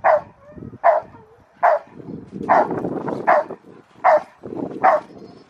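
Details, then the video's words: Rottweiler Carma v Eiche Park barking during protection training at the Victoria Rottweiler Club on November 15, 2020: seven loud, deep, regular barks about every 0.8 seconds, with a low rumble of handling noise between them. "Rottweiler protection training"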